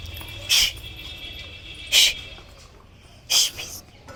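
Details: A 7-month-old Rottweiler puppy gives its first heavy barks, three sharp, deep barks each about a second and a half apart, apparently at the door.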